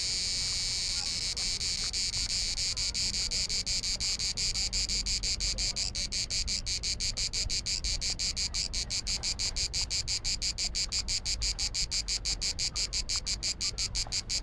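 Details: Island of Bisevo, Croatia, summer heat: a cicada's shrill continuous buzz breaks after a few seconds into rapid rhythmic clicking pulses, several per second, continuing to the end.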